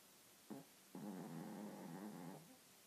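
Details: Toy Maltese asleep, its deviated septum causing snorts and snores: one brief snort, then a long rough rattling snore lasting about one and a half seconds before fading into soft hiss.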